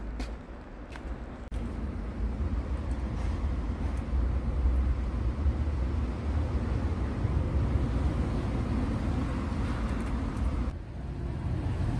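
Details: Steady roar of passing traffic on a road throughout, with no animal sound heard.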